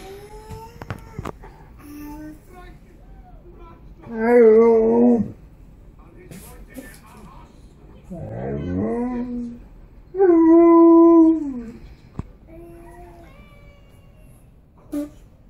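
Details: Tonka, an Alaskan Malamute who loves his kids and can't leave them alone, at naptime: three drawn-out, wavering woo-like vocalizations with rich harmonics, rising and falling, near the start, middle and later part, with music and talking between them.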